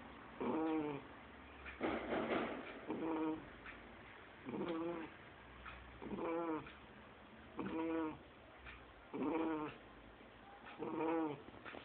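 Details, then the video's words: Lorena, a two-month-old Shar Pei puppy, snoring in her sleep like an adult person: rasping, tonal snores with a nasal buzz, about seven in a row, one roughly every 1.6 seconds, with quiet breathing gaps between. "Shar Pei filhote roncando"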